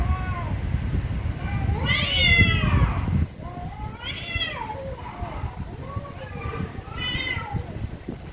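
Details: Very angry domestic cats meowing very loudly: a long, wavering, rising-then-falling yowl, then three shorter drawn-out meows about a second and a half apart, over a low rumbling background.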